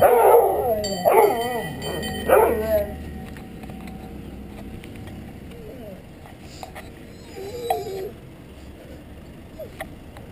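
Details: Snuffa the Dalmatian, upset because the ice cream truck doesn't stop, gives three loud, wavering, harmonic howls in the first three seconds, then quieter whining yips trailing off over a steady low background hum.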